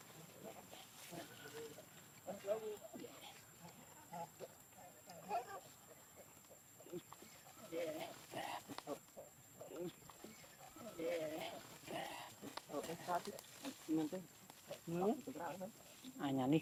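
A monkey gives a run of short squealing and grunting calls, with people talking nearby.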